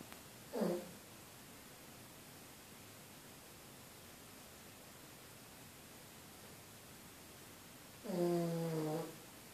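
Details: Female pug Amy asleep and snoring, giving a short snorting breath followed some seven seconds later by a longer, rasping, harmonic-rich snore; otherwise near silence.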